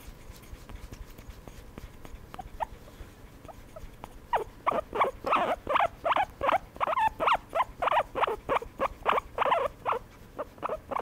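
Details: Pet guinea pig being given a massage, giving a rapid run of short squeaky calls at about three per second. The calls begin around four seconds in, after quiet rustling handling noise, and continue steadily to the end.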